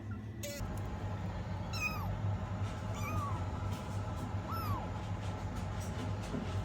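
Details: A rescued kitten gives three thin mews, each rising then falling, spaced about a second and a half apart. A steady low hum runs underneath throughout, with a short tonal blip near the start.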